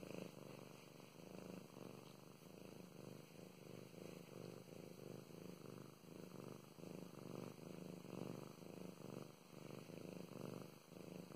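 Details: Domestic cat Mow Mows, a female pet, purring while being petted indoors; a steady low rumbling purr pulsing in regular breath-timed swells throughout, with a faint constant high-pitched whine in the background.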